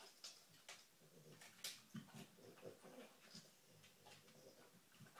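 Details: Female dog searching for treats, sniffing hard in quick uneven bursts, about three per second, as short breathy hisses with a few louder snuffles and a soft low snort near the two-second mark.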